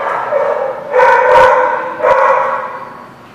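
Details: Recorded 13 October 2017 at The Barking Lot: a dog's loud, harmonic barks run into each other over three seconds, with two sharp knocks partway through.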